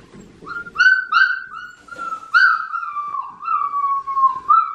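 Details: Australian Shepherd puppy, a four-week-old blue merle female in Oklahoma, November 15, 2019; clear high whistled whimpers, several short rising notes then a long slowly falling whine, quiet room.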